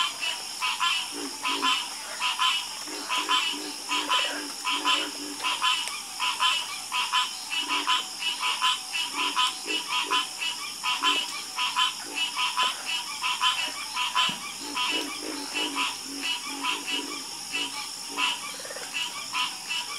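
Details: Frog chorus croaking steadily, dense pulsed calls overlapping in quick succession, with a constant high insect-like hiss running underneath.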